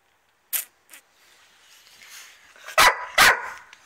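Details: A cranky female dog, one of a Dobermann and a Rhodesian Ridgeback, angry after losing her favourite ball and taking it out on the other dog and the camera: two short faint barks, then two loud harsh barks close together; a person talks.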